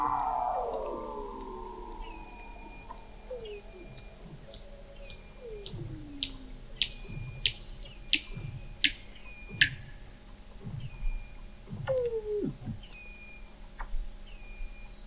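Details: Weddell seals recorded in November 2017 beneath thick sea ice in McMurdo Sound, Antarctica, by a hydrophone observatory 21 m below the ice: a long descending whistle, repeated downsweeping chirps, high clicks and short flat tones, with several animals overlapping.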